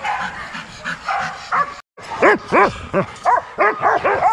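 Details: Young Rottweilers at a kennel exercise yard, a quick run of sharp, ringing barks about three a second after a short gap, with other dogs barking more faintly behind.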